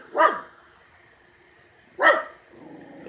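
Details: Barking at something in the yard, Jake the male Miniature Schnauzer lets out two loud, abrupt barks about two seconds apart, with a quiet background between them.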